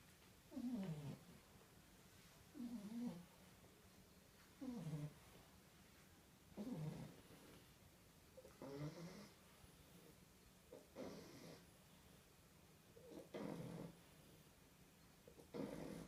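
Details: Sleeping baby French Bulldogs snoring together, a run of eight soft, gravelly snores, each under a second, repeating about every two seconds with a faint breathy hiss between them in a quiet room.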